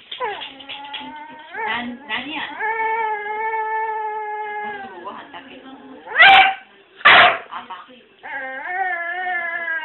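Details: Pet dog indoors, persistently pleading to be taken for a walk, uttering sustained, level, voice-like whines broken by short yips, with two loud sneezes and a television news voice behind.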